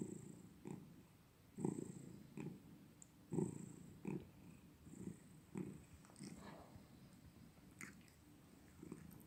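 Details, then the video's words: Pet cat purring, low rumbling bursts repeating about every second, less even, with occasional sharp clicks and light rustling. "고양이가 골골송만 부르는 영상 a video of cats making cute sound"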